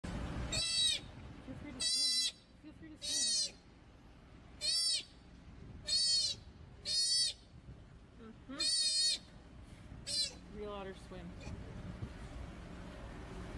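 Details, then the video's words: Sea otter making cute noises: a series of very high, squeaky, shrill calls about half a second long, each with a wavering tone, given in loose bursts over the whole stretch. "Sea Otter Making Cute Noise"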